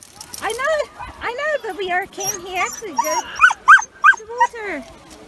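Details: On a 31-degree day at a UK beach, Yuki the male Samoyed makes his silly happy noise, not crying. Wavering, singsong whines rise and fall almost continuously, breaking into higher squeaky yips midway.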